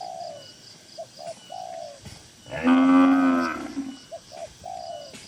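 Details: A single strong, rich moo lasting about a second rings out from tame cattle in a crowded farm barn, framed by soft, repeated short chirps before and after.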